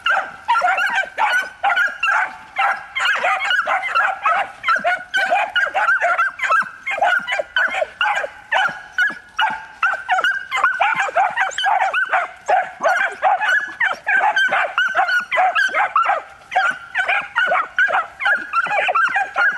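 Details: Three one-year-old Miniature Wire-haired Dachshunds (black-and-tan male, black-and-tan female, light wild-boar coloured) in hunting pre-training, urged to bark persistently: dense, continuous high yapping barks, overlapping and rapidly repeated throughout, with no pauses.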